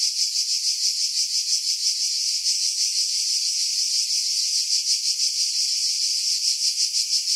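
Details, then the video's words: Summer cicadas in pines about 50 m over Pefkos Bay, Skiros, Greece, July 2018: a loud, steady electric-sounding buzz with fast, slightly uneven pulsing around three beats per second, wind removed by filtering. "Cicada Sounds, July 2018 Skiros, Greece"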